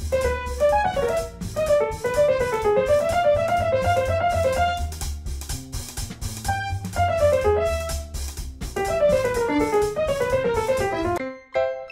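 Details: Upbeat jazzy piano with drum kit fills the recording and stops abruptly near the end, with no animal sound.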